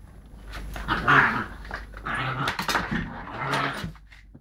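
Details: Lakeland Terrier pup playing roughly with a Lakeland x Patterdale cross, recorded on a mobile phone; throaty, rasping growl bursts rise and fall, loudest around the middle, with scuffling between them.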